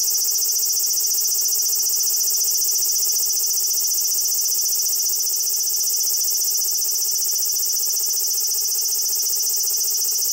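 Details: Large brown cicada giving its long, drawn-out grinding "giiii" song, which it sings while sitting still, recorded on a compact digital camera. A steady, unbroken, very high harsh buzz holds for the whole stretch and is slightly distorted.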